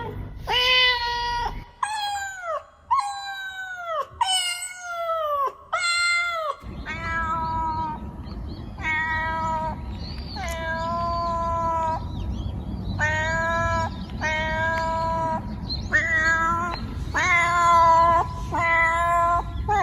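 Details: Domestic cats meowing, a compilation of clear, harmonic meows: a quick run of five descending meows, then a steadier series of about a dozen longer, level meows over a low background rumble.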